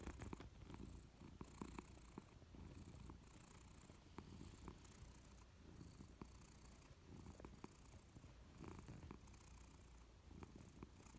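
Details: Quiet purring from a Persian cat dozing on a warm sofa: a low, even rumbling drone with regular pulsing beats, steady from start to finish in a still indoor room.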